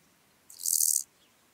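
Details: Lesser marsh grasshopper singing in Elsbethen, Austria, on 27 July 2019: one short, dry, buzzy hiss lasting about half a second, very high-pitched, against quiet background; noise removal applied.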